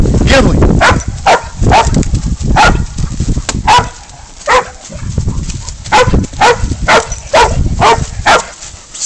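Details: Spud, a baying dog, holds up a goat for catch and release: rough, repeated barks about twice a second, first buried under loud rumbling and a man's voice, then clearer and evenly spaced.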